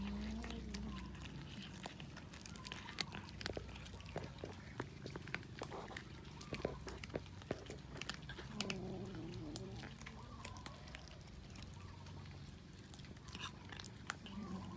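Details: Cats eating raw fish: a steady scatter of sharp chewing and biting clicks throughout, with a few short, low, wavering vocal murmurs near the start, around nine seconds and at the end.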